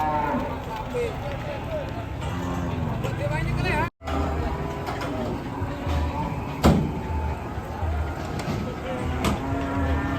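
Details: Agitated cattle give short, muffled lowing calls over heavy low rumbling and crowd noise, with a brief cut partway through and a few sharp knocks.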